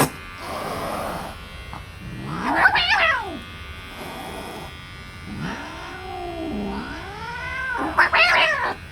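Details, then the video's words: Angry, aggressive domestic cat during nail trimming: long wavering growling yowls that rise and fall, with sharp high hissing spits near three and eight seconds, over a steady mechanical hum. "রাগী বিড়ালের নখ কাটতে গিয়ে এ কী অবস্থা!"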